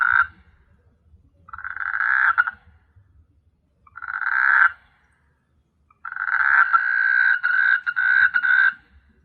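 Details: A frog on S. Hulhumeedhoo island, Maldives, gives loud, rasping croaks at night in bursts lasting one to three seconds, separated by brief pauses.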